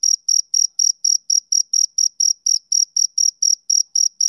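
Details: Male cricket chirping on a summer evening: clean, high-pitched pulsed chirps repeated steadily about four times per second, each a short buzzy burst with a faint higher overtone, no other sounds.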